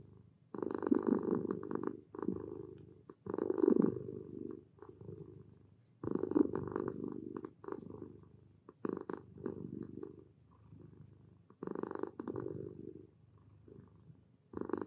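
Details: A relaxed domestic cat (Felis catus) purrs in contentment, a steady low rumble that swells and fades with each breath.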